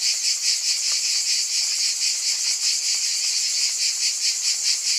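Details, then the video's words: Cicadas in a continuous chorus, a dense high buzzing with fast pulsing, steady and unbroken, with no other sounds. "Scintillating Cicadas"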